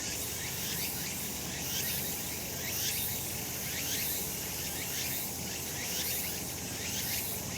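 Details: Cicadas in summer sunshine on a mountain in Japan: a steady high shrill drone with gently rising pulses near once per second, slightly swelling and fading, above a faint low hum.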